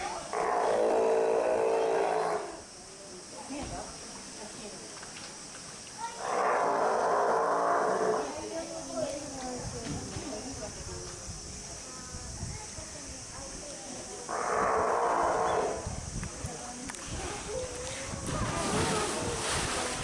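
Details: Steller sea lion pup born 2 July 2023, filmed 17 August 2023 at Marinepia Nihonkai aquarium in Japan: three loud, hoarse bawls of about two seconds each, spaced several seconds apart, with quieter murmuring between.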